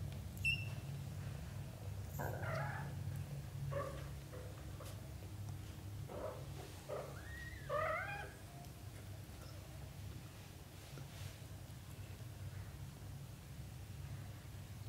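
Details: Indoors, a British Shorthair mother cat lets her kittens out onto the floor to learn to walk; several short, thin mews come at irregular intervals, the loudest a wavering double call, over a low constant hum and faint knocks.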